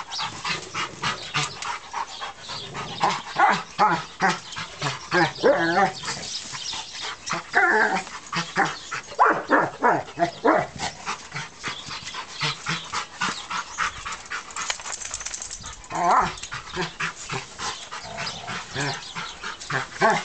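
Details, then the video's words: Three-year-old stud German Rottweiler weighing 120 pounds, worked up while playing with his toy brick; short harsh barks and growly bursts come in rapid, irregular volleys for twenty seconds with little pause. "stud german rottweiler mad with his toy, the brick."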